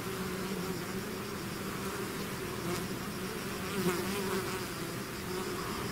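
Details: Swarm of bees pouring out of its hive, a dense continuous buzzing drone with a steady hum and overtone bands, many wingbeats blending into one even wall of sound.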